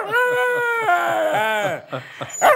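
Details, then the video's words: Pet dog Dexter vocalizing back at his owner after their walk: a sustained whining howl that dips and wavers in pitch, over quick rhythmic breathy pulses, ending in short yelps and laughter. "Dexter the TALKING DOG!!!"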